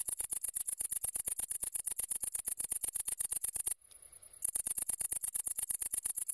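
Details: Tettigonia viridissima, the great green bush-cricket, producing a piercing, rapid ticking buzz that carries steadily for nearly four seconds, stops briefly, then resumes at the same quick pulse rate.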